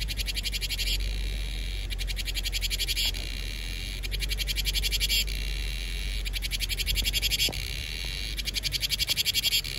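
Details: Cicadas heralding summer in Vietnam: a loud high buzzing chorus, with bursts of rapid pulsing lasting about a second that alternate with a steady hiss, repeating roughly every two seconds, over a low background rumble.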